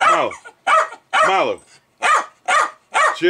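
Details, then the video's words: Excited pet Jack Russell Terrier named Milo barking at beer fermenting; loud barks with strong whining overtones in irregular bursts, mixed with a man's voice telling him to chill. "Jack Russell "Milo" Going Crazy Over Beer Ferementing"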